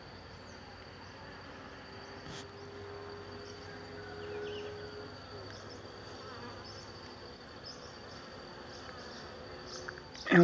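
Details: Many worker honey bees pollinating a jabuticaba tree make a steady, low drone of buzzing together, with a faint thin whine high above, in incessant work.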